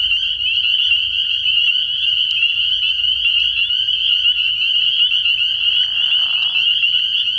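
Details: Many spring peepers calling together at a frog pond on an early-year night, a constant high shrill trill-like chorus, with a soft lower smear of sound briefly rising through it near the end.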